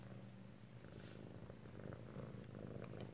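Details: Close-up of an Alabama kitten purring at home on 7 February 2018: a low, steady, rumbling purr with rapid regular pulses, plus faint light rustles and clicks indoors.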